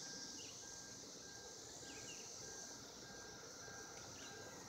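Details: Cicadas in 2016, calling to mate, give a constant high-pitched droning hiss, with a few short bird chirps over a low background rumble.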